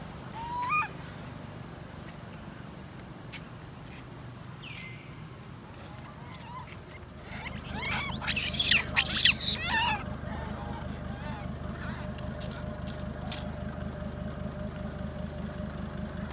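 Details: Baby monkey Lori crying after careless mum Amari leaves her alone: a few faint squeaks, then a sudden loud, harsh, high-pitched screaming burst lasting about two seconds, fading into a rapid rhythmic low rattling noise.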